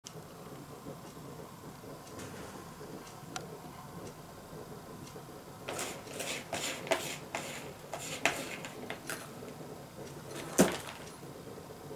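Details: Quiet indoor room with soft background hum and a series of faint clicks and knocks, no animal voice heard.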